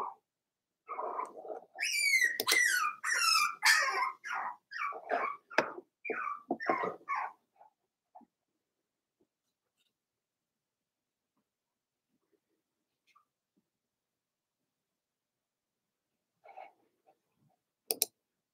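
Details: Four-week-old Cavalier King Charles Spaniel pups from Daisy's litter in an indoor pen: a burst of high, wavering whines and quick yips for about seven seconds, then near silence with a faint whimper and a click late on.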